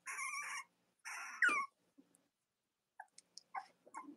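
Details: Cavalier King Charles Spaniel puppies from Robin and Myra's litters, indoors with nursing mothers on a chilly late-October morning; two drawn-out, harmonic whining cries, each about half a second long, followed by soft scattered clicks and rustles in a small room.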